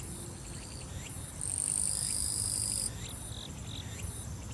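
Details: Summer grass insects on Soyosan mountain in Korea: a thin, high, continuous shrilling trill that swells loudest in the middle stretch before easing back, with scattered faint mid-range chirps and low rumbling noise underneath.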